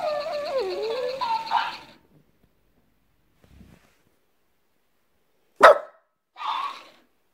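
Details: French Bulldog answering back, giving a drawn-out wavy whining vocalization with rising and falling pitch for nearly two seconds, then quiet, a sharp sudden thump and a brief noisy burst.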